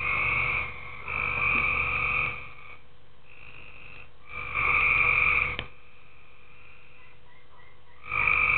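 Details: Tree frogs calling in a pool at night: long, steady, nasal croaks lasting about a second, separated by short pauses, with fainter croaks overlapping between the louder bursts.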